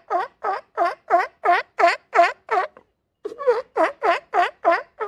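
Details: Sea lion recorded on a beach, giving a steady series of hoarse, harmonic barks about three per second. The run pauses briefly near the middle, then resumes at the same pace.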